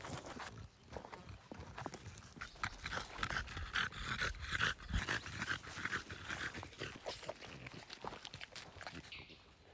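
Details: French Bulldog begging: faint snuffling and breathy panting with brief thin whine-like tones, irregular and quick, roughly two sounds per second throughout.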